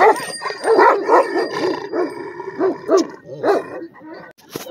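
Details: Afghan Kochi and Bully mix dog, a heavy-bodied red dog, giving a run of rough, arching barks and yelping calls, several in quick succession, with a man's greeting heard nearby.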